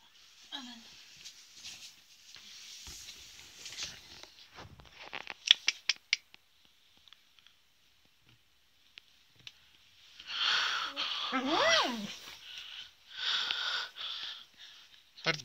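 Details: Adult female beagle growling angrily while being teased: soft tapping and scratchy noises at first, then a loud, tonal whining grumble that bends up and down, followed by further rough, noisy bursts.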